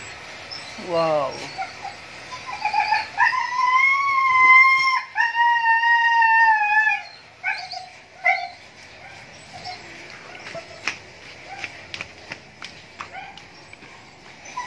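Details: Mating Siberian Husky: a quick falling yelp, then two long, sustained whining cries that hold a steady pitch with a slight waver, followed by softer scattered whimpers, a few clicks and a human voice.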